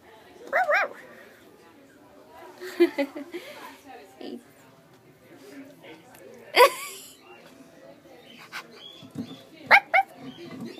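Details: Husky puppy playing with a person at a pet store, giving short rising-falling whiny yelps near the start and end, with a woman talking softly to it and handling noises between calls.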